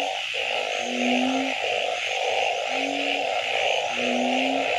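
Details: Frogs calling after dark: three drawn-out low tonal notes spaced over a few seconds, each against longer raspy pulsed bursts, with a continuous shrill insect drone behind.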